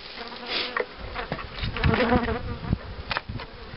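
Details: Close honey bees at a queen-rearing hive: a loud, wavering buzz rises and falls as bees fly near. Bumps and rustles from hive handling run through it.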